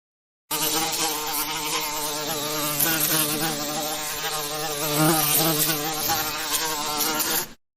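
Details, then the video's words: Bees buzzing in a steady, dense drone for the whole stretch, a low hum with a rich, slightly wavering overtone texture and only small swells in loudness. "Bee sounds , bee noises , buzzing bee sound effect"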